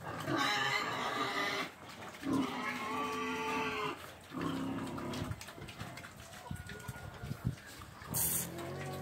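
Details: Pig squealing in long, loud, tonal bursts of about one to two seconds, separated by short gaps, followed by softer grunting and scattered knocks and clatter.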